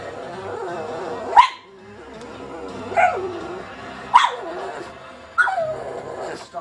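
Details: Little black pug Katie barking at an animal programme on TV, yawning as she barks: four abrupt barks about every 1.4 seconds over steady background narration and music.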